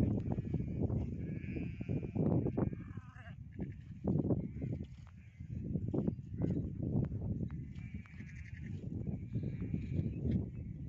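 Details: Baby goat on a goat farm, several short, wavering, nasal bleats rising above a constant low clattering, shuffling background, with gaps of a second or two between calls.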